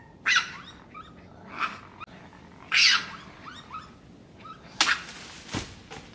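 A raccoon gives short, harsh squeaky chirps and hissing bursts at irregular intervals.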